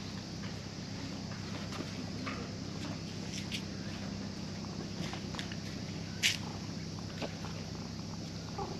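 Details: At a fishing port, a cat woken from sleep purrs happily while a visiting child strokes it; a continuous low, even rumble fills the clip, broken by a few soft clicks and one sharp tap.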